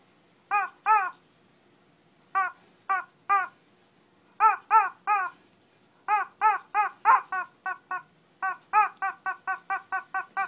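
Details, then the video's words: A Shih Tzu barking in a mini fight in Kochi, Japan: yaps in pairs and threes separated by short pauses, speeding into a quick, even string of barks by the end. "Shih Tzu kochi japan new [mini] fight !"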